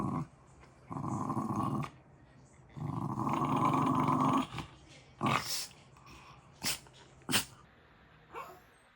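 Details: A pet dog growls in two long, low, rumbling stretches and then gives several short, sharp barks spaced a second or so apart, indoors.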